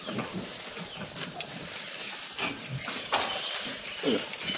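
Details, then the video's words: Close recording of a goat eating: irregular crunching bites, about two per second, with low rumbling munches under crisp rustling clicks. "Goat Eating Sound"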